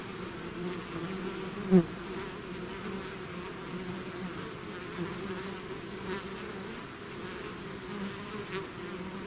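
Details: A swarm of bees out of the hive produces a constant low buzzing drone, with one louder bee passing close near the two-second mark and soft clicks scattered later.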